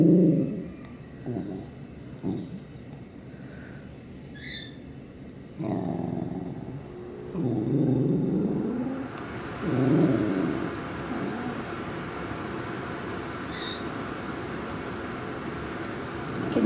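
A corgi grumbles in low, rumbling bursts, rising and falling in uneven growly phrases.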